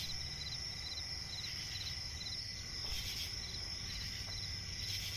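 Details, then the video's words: Crickets at night in a swamp forest, a shrill steady high tone with scattered clusters of quick chirps that thin out midway, a low rumble throughout and brief bursts of rustling near the end. "cricket chirping relaxing sound in night forest"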